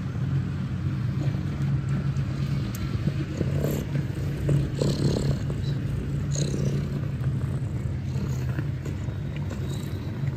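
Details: Mother cat with nursing kittens at Catfe, a Ho Chi Minh City cat cafe in Vietnam, with a continuous deep purring drone and faint rustles and small movements above it.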